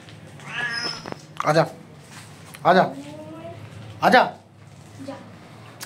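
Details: Hungry street kittens meowing while waiting for milk, their mother cat foraging outside; a few short harmonic meows arriving about every one to one and a half seconds, one with a long falling tail, over low background hum and a Hindi-speaking voice.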